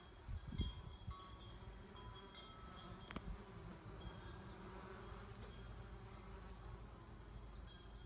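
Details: Low, continuous drone of honey bees at a hive, the sole colony surviving winter from four, known as aggressive; a thin high tonal chiming runs above the hum, with a knock early on.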